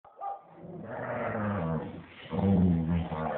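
Staffordshire Bull Terrier pups make low, rough growling sounds, a steady rumble with a buzzy edge. It eases off briefly, then grows louder and more urgent toward the end.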